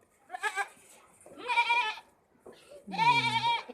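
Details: A goat at a goat farm in Nagpur bleats three times, each a wavering, nasal cry with rich harmonics.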